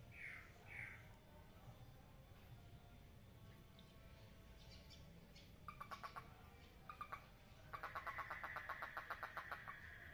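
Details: In a water lily pond where frogs are mating, two brief chirps open, then scattered clicks, short pulsed bursts midway, and finally a fast, even pulsed trill over a low, noisy background.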